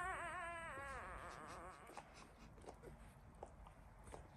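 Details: One-week-old Labrador Retriever puppies from the Y2 litter: a clear, wavering whine with rich harmonics opens the clip and slides up and down for almost two seconds, then fades into soft scattered clicks and small squeaks.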